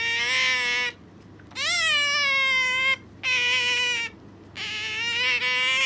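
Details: Pet Asian small-clawed otter clinging to its owner and being noisy indoors: four long, shrill, harmonic squeals, each about a second long, some wavering or slightly rising, separated by short pauses.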